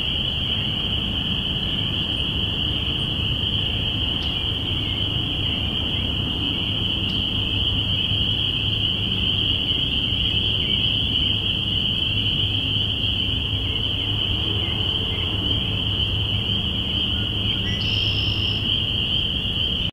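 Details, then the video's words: Spring peepers at the onset of spring, binaural recording made April 05, 2017. A dense mass of callers produces a sustained piercing whistle-like band throughout, over a deep continuous background rumble. "Spring Peepers"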